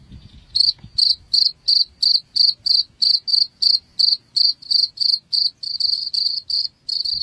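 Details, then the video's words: Cricket sound used as a rat repellent: after a brief soft start, sharp high-pitched chirps follow roughly three per second, the last few running closer together and slightly blurred. "SUARA JANGKRIK Pengusir Tikus"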